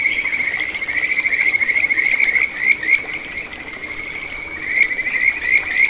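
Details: Kajika frog singing in a small stream flowing through satoyama countryside in Ichihara, Chiba, Japan, on 9 June 2022: a continuous high, warbling trill of rapid, fluttering notes that swells and fades, with a soft background hiss.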